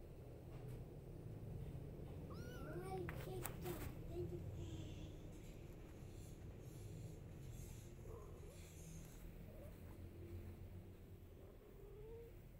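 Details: A mother cat calling her kittens, wanting them to follow her, gives a few short rising-falling meows early on and fainter mews later, over a steady low rumbling background.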